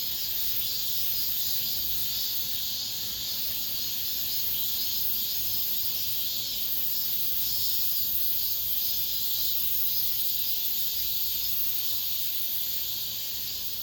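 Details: Cicadas singing in an apartment complex at the end of summer, the last of the season: a dense, steady, high-pitched sizzling chorus that drones on without a break, with a faint low background rumble.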